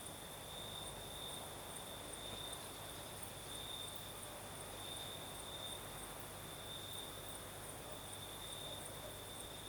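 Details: Singing crickets on a southern Crimean night with a light breeze: a persistent high trill that brightens in short repeated bursts every second or so, over steady soft wind noise.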